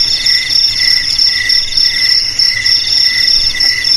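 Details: Brief stretch of cricket song, used to frighten rats away: bright, very high trills at several pitches, pulsing rapidly in short bursts, with nothing else audible.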